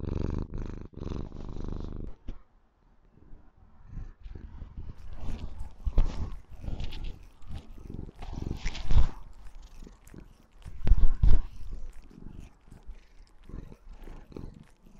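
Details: A white female Maine Coon kitten purrs loudly, a low rumbling throb, while showing love and affection to her owner.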